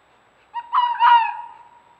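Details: A red fox, one of a playful mating pair caught on a trail camera at a scent-marking tree on an acre of land in Hendersonville, North Carolina, gives a single drawn-out, tonal whining cry that fades away.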